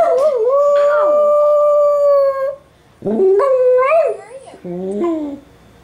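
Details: Nana, a dachshund, howls while watching dog television alongside fellow dachshund Trygg, who stays silent: long sustained wavering howls, then shorter rising and falling howled notes in three bursts.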